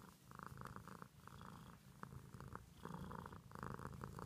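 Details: Close-up purr of a house cat, a grainy low drone broken into short rhythmic bursts, growing slightly stronger in the final two seconds, with an occasional soft tap in the background.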